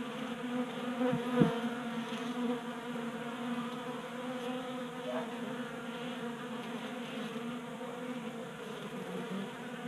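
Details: Honey bees drinking from a 3D-printed tabletop feeder indoors in Colorado in January, kept active by late heat. Constant humming drone with a couple of close thumps early and brief pitch shifts as bees pass.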